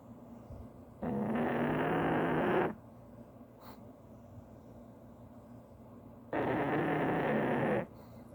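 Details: A pug snoring: two long, harsh, rasping breaths, each about one and a half seconds, spaced roughly five seconds apart, with quiet breathing between them.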